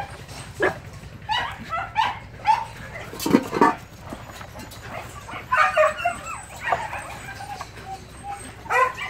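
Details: Young Phu Quoc Ridgeback puppy being trained to hunt rats at a Saigon kennel, giving short high yips and barks scattered through the clip, some in quick bursts, over a steady low hum.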